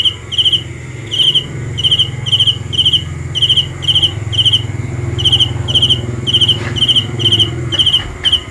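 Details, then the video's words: High pulsed cricket chirps about twice a second, unevenly spaced, over a continuous low rumble like distant traffic. "The best sounds of Cricket 《 Suab Kab Ciliv Quaj Zoo Heev》 ( ສຽງແມງຈີ່ນາຍຮ້ອງດີໆ )"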